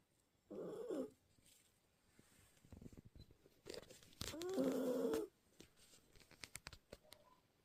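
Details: Çakıl, a Maltese terrier puppy, asleep indoors and snoring. Two rasping, breathy snores come about four seconds apart, the second longer and louder, with faint clicks and rustles between them.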